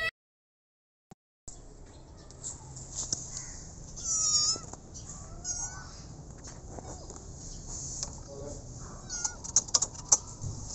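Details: A rescued street kitten gives a few short, high meows that are partly masked by a constant high-pitched hiss, with scattered clicks and knocks around them.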